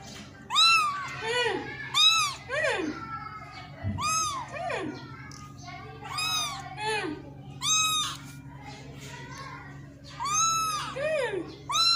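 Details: Kitten meowing repeatedly indoors, high arched mews with rising-falling pitch coming roughly every one to two seconds, some calls overlapping as if more than one kitten, with a steady low hum and occasional Hindi speech in the background.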